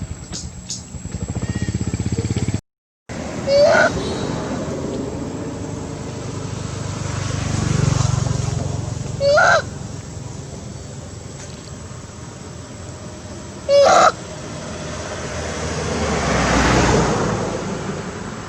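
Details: Mother monkeys Briana and Briget shouting loudly for their baby Baron to come back: three short, harsh, harmonic calls spaced several seconds apart, over a steady engine rumble and low traffic noise.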